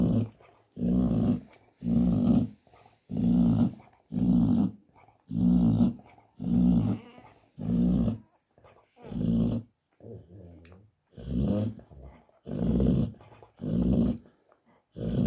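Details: Indoors, a snoring American Staffordshire Terrier mother: steady, rasping low snores repeat roughly once a second in a regular rhythm, with one softer, quieter breath near the ten-second mark.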